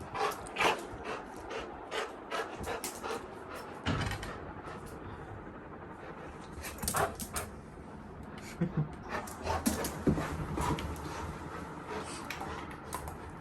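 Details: Little John, a pet Labrador Retriever sleeping in a bedroom, woken at midnight for a walk on a rainy night; soft, irregular panting with faint whimpers amid rustling, clicking handling noises and quiet human talk.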